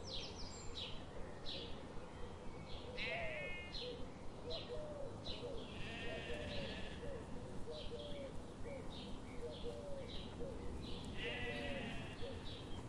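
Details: Morning in a forest where sheep graze. Repeated quavering bleats rise and fall from several animals. Many short rhythmic ticks run throughout against a continuous low rumble.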